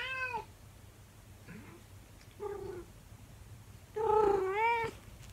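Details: Twenty-four-year-old calico cat Monkey howls at her owner in a small room: a short wavering meow, a brief chirp, a mid-length cry, then a loud, long, bending howl with strong harmonics.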